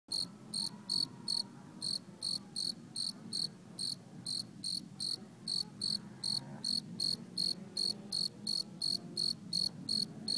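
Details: Cricket singing at night in a backyard where a family is camping: loud, crisp, high chirps repeated steadily about two to three times a second, roughly 28 in total. A faint low hum sits underneath.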